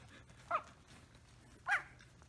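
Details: Samoyed household, Rose the mother dog feeding her puppies: two short, clear high squeals with bright harmonics, about a second apart, over a low steady hum and soft rustling.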